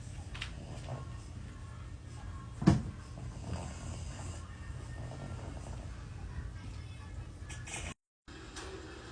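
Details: Sleeping dog snoring, a steady low rumbling drone with soft breathy texture, one brief louder thump near the start and a short gap toward the end.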